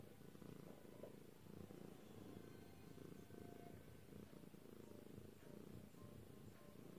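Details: Lilac British Shorthair cat purring: a steady low rumbling drone, continuous throughout with even loudness and no breaks.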